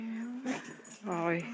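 A Beagle gives a drawn-out, mournful howl, steady in pitch, with a person talking nearby.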